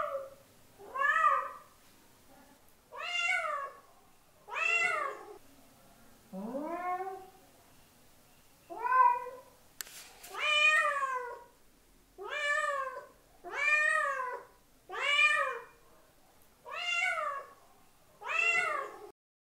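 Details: Cat calling to attract another cat, a steady run of eleven clear, harmonic meows roughly every one and a half seconds, mostly short and arched, one lower drawn-out meow near the middle, quiet room.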